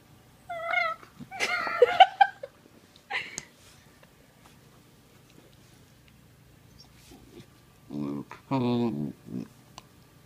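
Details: A young male Sheprador puppy (Australian Shepherd-Blue Heeler/Lab cross), while playing, gives thin, high-pitched whines and quick yelping bursts, then after a pause deeper, throaty grumbling calls, with faint human voices in the room.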